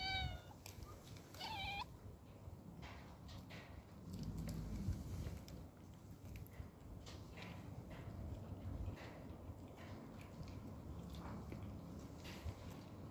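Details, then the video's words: Homeless cat meowing twice at the start, clear drawn-out harmonic cries that bend downward, followed by soft rustling and low background rumble. "Cute cat meows"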